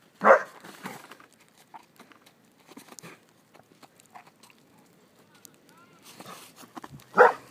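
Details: Hibbert the poodle, trying out new boots in the snow, gives two short, loud single barks about seven seconds apart, with quiet rustling and soft footsteps between them.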